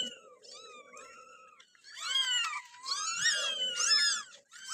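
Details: Four kittens staying in an office over the Eid holiday mew repeatedly, high and wavering, several overlapping calls that arch up and down, with a low murmuring background sound.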